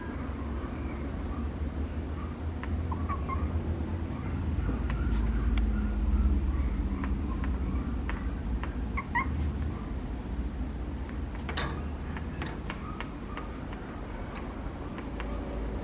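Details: A Papillon puppy named Lucky gives short, high-pitched whimpering yelps in scattered bursts, some doubled, over a steady low indoor rumble with occasional clicks and knocks.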